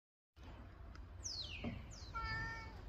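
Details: A talkative Siamese cat, born 2017, waiting by the garage as its owner returns from work, gives two high, drawn-out meows that slide downward, answering its owner, who then asks it to get out of the car.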